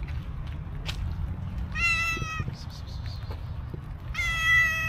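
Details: Homeless cow cat coming up to a person outdoors: two clear harmonic meows, the first flat and short, the second longer and louder near the end, with light clicks and low background hum between them.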